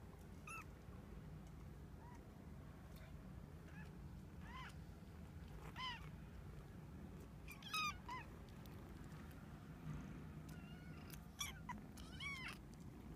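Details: Young female Domestic Shorthair kitten in a shelter awaiting adoption, living with siblings: short, high, rising-then-falling mews at irregular intervals, some in quick pairs, over a constant low hum.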